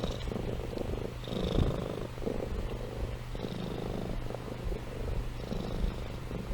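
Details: Sleeping pet cat named Amy purring and snoring: a low, continuous rumble rising and falling with each breath, roughly one cycle per second, with faint airy wheezes above, indoors and otherwise quiet.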